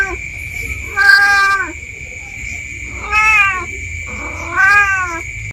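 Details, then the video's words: Village cat wandering in undergrowth behind a house, meowing in apparent panic: three wavering, slightly falling meows roughly every two seconds, with a continuous high-pitched buzzing drone in the background. "SUARA MEONG MEONG.!! Kucing Kampung"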